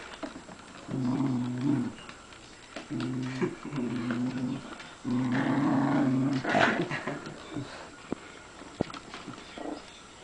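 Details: Dogs fighting, giving low, rough growls in three drawn-out bursts of about a second each, near the start, middle and around six seconds, with quiet pauses between and a faint human voice nearby.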